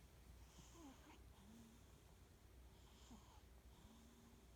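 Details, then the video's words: Charlie, a Norwegian Forest cat sleeping on a couch indoors, snoring quietly with soft wheezing, whistling breaths roughly every second or two over a low room hum. "Charlie snoring"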